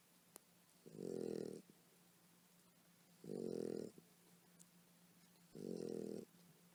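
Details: Sleeping mother dog snores steadily as her puppies nurse, three harsh, buzzing breaths of under a second each, spaced about two to three seconds apart, with a low constant hum underneath.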